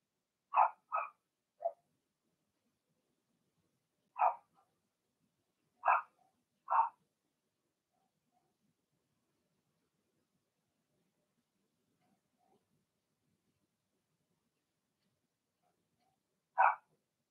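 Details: Blenheim Cavalier King Charles Spaniel puppies from a litter of six in an indoor puppy pen give short, sharp yapping barks in scattered bursts, paired early, then single barks spaced several seconds apart with quiet gaps.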